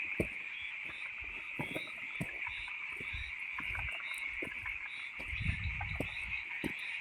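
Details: Frogs calling loudly at night: a steady high chorus of dense trilling runs throughout, with scattered sharp clicks and low knocks beneath.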